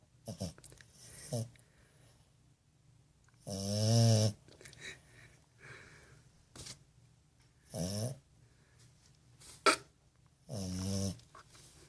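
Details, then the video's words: Sleeping French bulldog puppy snoring: deep, rasping, harmonic snores in bursts roughly every three to four seconds, each swelling then fading, with soft clicks, snuffles and quiet breathing between them indoors. "Snoring french bulldog puppy"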